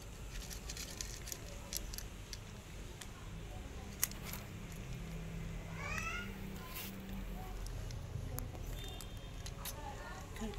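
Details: Hungry stray cat asking for food gives a short rising, wavering meow near the middle, then a fainter one near the end, against steady low background rumble, clicks and tapping.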